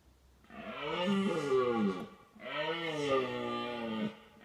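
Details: A red deer stag in the autumn rut (late September to early November) gives two long, deep, harmonic bellows, each swelling then fading, to warn away rival stags; hinds were also heard nearby.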